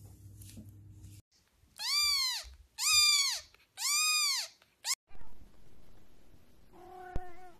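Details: Cat giving three loud, arching meows in quick succession, each rising then falling, followed by a brief chirp and a short quieter call near the end, with low hum before the calls begin.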